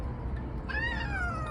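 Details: Odeuri, a pet cat left with a hoarse voice after tooth extraction surgery, lets out a single meow lasting under a second, rising slightly then gliding down, over low background hum.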